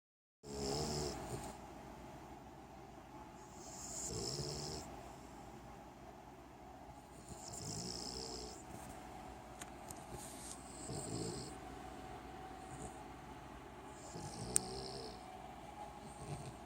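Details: Cavalier King Charles Spaniel pups sleeping in their crate snore loudly in slow, rasping breaths, roughly every three to four seconds.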